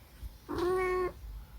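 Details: Munchkin cat giving one drawn-out meow of about half a second. The tone is steady and even in pitch with strong harmonics, against a quiet background.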